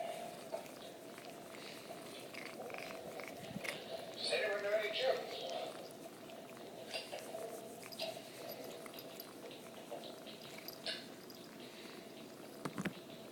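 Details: A female pet cat indoors, vocalizing while her back is scratched: soft, talking-like murmurs, then a drawn-out, wavering meow-like call near the middle, with quiet scratching and rustling throughout.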